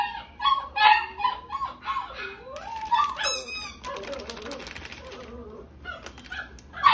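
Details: Female dog with a gold-and-white coat, born 9 March 2021, giving a run of high, tonal whining yelps that rise and fall, some short and clipped, others drawn out, with brief quiet gaps between bursts.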